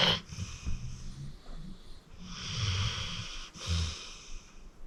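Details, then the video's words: Deep-sleeping rescued pit bull Acorn, aged 14, snores at home: low guttural rumbles on the inhale paired with airy, whistling wheezes on the exhale, three breaths in quick succession. "Acorn Sleeping - Relax with a Snoring Senior Dog"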